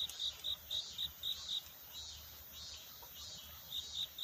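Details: Cricket courtship at night, its song a search for love, at dawn. A handful of high, short chirps, then a two-second pause with only faint hiss, then the chirping starts again.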